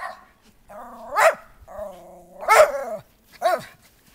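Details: Schipperkes romping in backyard snow, January 7, 2010: three loud, rough barks about a second apart, each with a drawn-out lower growling lead-in, while a woman encourages the dogs to play.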